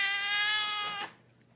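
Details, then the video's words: House cat making one sustained, even-pitched meow lasting about a second before stopping sharply, with a faint low hum behind it. "Even Cats Can Talk"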